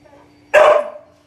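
A Siberian Husky gives a single short, loud bark with a slightly vocal, talkative tone.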